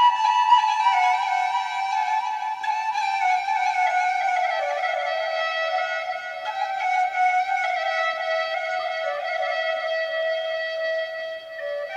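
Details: Folk-style flute melody with sustained, slowly gliding tones and rich overtones plays throughout, with no animal voices.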